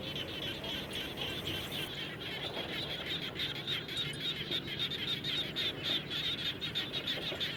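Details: After rain near a house, many frogs call together, giving quick pulsed high-pitched notes about three per second against constant hissing noise.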